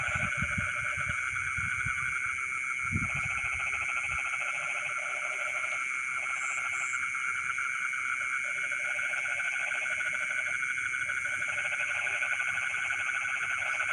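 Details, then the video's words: Frogs calling from rice fields in the dead of night: long runs of fast, pulsed croaks, broken by brief pauses, sit beneath an unbroken shrill insect hum; a few low thuds early on. "the sound of frogs singing in the rice fields in the middle of the night"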